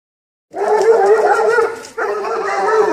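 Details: Serbian defense dog puppies, two months and eight days old, 75% Serbian defense dog and 25% American bulldog, in two long, steady, harmonic-rich cries, a short break between them, with no other sounds.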